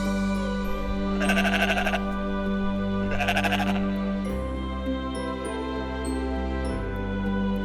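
Two wavering sheep bleats over a steady bed of background music.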